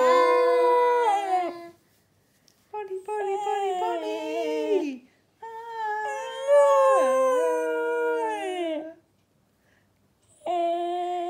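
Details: A pet cocker spaniel that loves to sing along to Kaiser Chiefs' "Ruby" howls in long, tuneful notes that slide downward as the music plays.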